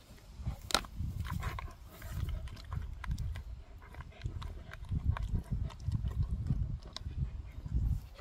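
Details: Dog named Gorlock The Destroyer grunting and panting while eating and playing, recorded close up; low rumbling grunts come in bursts with scattered sharp clicks and smacking noises throughout.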